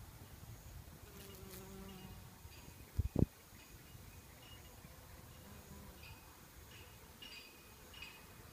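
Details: A honey bee feeding on sweet nectar from the red, thread-like flowers of a silk tree hums with a low, steady drone that swells and fades as it moves about; one sharp knock breaks in, and faint chirps sound behind.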